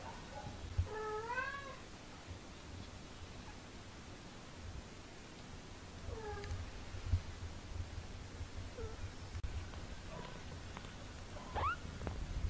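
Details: Two 17-day-old British Shorthair kittens, learning to walk, give thin, high meows that rise then fall, in short bursts; British Shorthair kitten.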